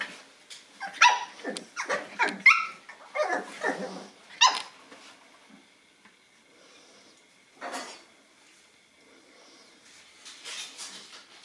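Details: Nine-week-old Boston Terrier puppies getting to know a new toy; a rapid run of high yappy barks mixed with rough growly notes for about five seconds, then a lone bark and quieter rustling.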